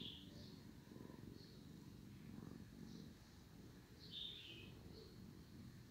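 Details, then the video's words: Sleepy cat being licked clean by his brother, purring in a low, rasping rumble that pulses steadily, with a few short high squeaks near the start and middle. "Sleepy, loud purring cat getting cleaned by his brother"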